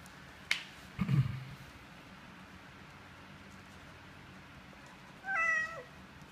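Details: Nursing mother cat with kittens: a sharp click and a low thump come first, then after a pause a single clear meow that slides downward, heard in a quiet room.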